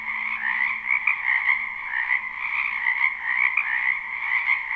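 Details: Dense nocturnal-style chorus of many frogs from a wetland in spring, recorded live without looping; shrill, rapidly pulsing trills merge continuously, brighter peaks rising every fraction of a second over a soft low drone.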